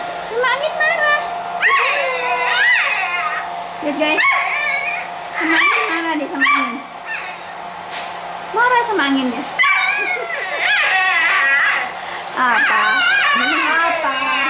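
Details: Playful Pit Bull puppies giving a run of high, wavering whines and short yelps, rising and falling in quick bursts with brief pauses, while a person talks softly in the background.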